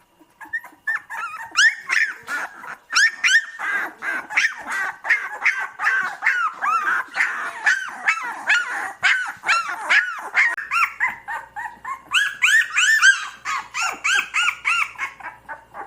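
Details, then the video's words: A litter of puppies cries continuously, many voices overlapping in arched, squealing whines and brief yips, repeated rapidly and getting higher and shriller toward the end. "Puppies Crying Sound effects"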